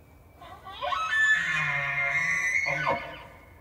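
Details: A bull elk bugles during the September rut in Yellowstone: a rising whistle climbs to a long, shrill, squealing note over a low grunt, then breaks and drops at the end.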